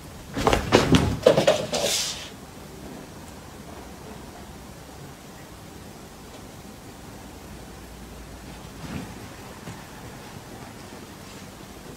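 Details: Brief rustling and knocking bursts fill the first two seconds, followed by quiet indoor hiss with a faint knock near nine seconds.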